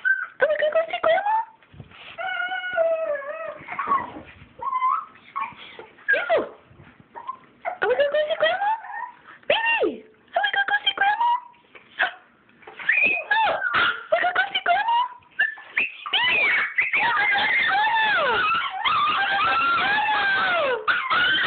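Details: Excited Chihuahuas whimper and whine about going to see grandma: wavering, bending tones in quick bursts that build into near-continuous overlapping whining at the end, with a person's voice in between.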